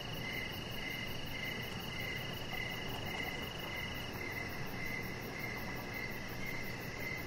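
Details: Evening crickets beside a deck, clear high chirps repeating evenly about every half second, alongside a steady higher-pitched insect tone and faint background hiss.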